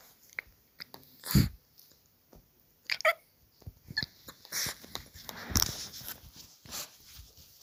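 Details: Puppy indoors making short scattered sounds: brief squeaky yelps and snuffly bursts spread over several seconds, with rustling and clicking handling noises between them.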